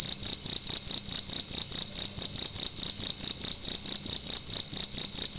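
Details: Night-time cricket inside a room giving a loud, shrill, metallic chirping, steady pulsed bursts repeating evenly throughout, with a soft low-pitched hum in the background.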